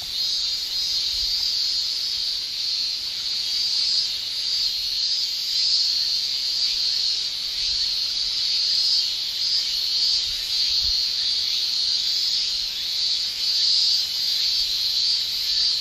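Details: Japanese summer cicadas, males singing with their tymbals, forming a constant bright high-pitched drone with faint rhythmic pulsing woven through it and slight surges in loudness.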